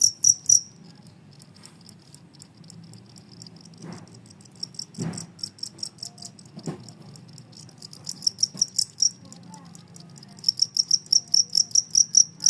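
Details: Two-spotted cricket keeping up its calling despite commotion: quick runs of shrill, high-pitched chirps, sparse at first, then dense and regular toward the end, over a low hum with a few thumps.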